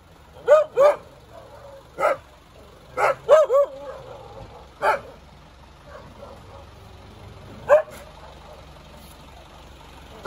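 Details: Dog barking irregularly: a pair of barks, a single, a quick triple, then scattered lone barks with pauses of a second or more, faint rumble in the background.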